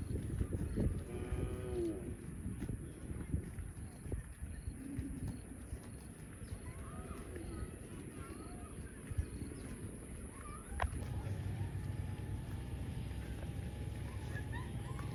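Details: Cow mooing: one drawn-out, wavering moo near the start, then a low rumbling background with faint brief sounds and a steady mechanical hum in the final seconds.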